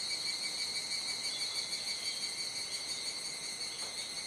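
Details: Dusk chorus of cicadas at Kuji, Iwate, Japan, on a July 2017 rainy-season evening. Dense, continuous high-pitched ringing in several layered tones, steady and loud from start to finish, with no other clear sounds.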